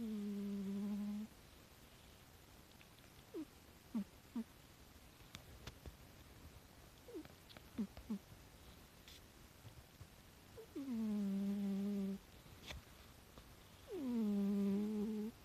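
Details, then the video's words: Rescued domestic cat snoring indoors, hard to hear; soft, humming drawn-out tones of one to two seconds recur a few seconds apart, with faint clicks and rustles between them. "猫のいびき (聴こえにくいです)"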